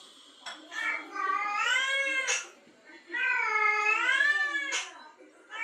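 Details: Female cat in heat answering a male's calling: two long, loud, rising-and-falling yowls with rich harmonics, each about a second and a half, separated by a short break, in a small indoor room.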